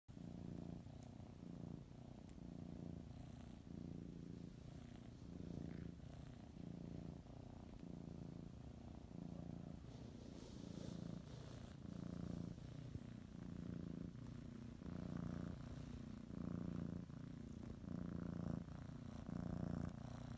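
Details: A female domestic cat purrs steadily while kneading and biting a blanket before her morning nap, a low rumbling hum that pulses with each breath in and out.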